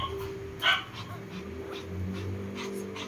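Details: Pomeranian dog giving a single short, sharp bark near the start, followed by quieter faint yips, over a steady low hum and soft background voices.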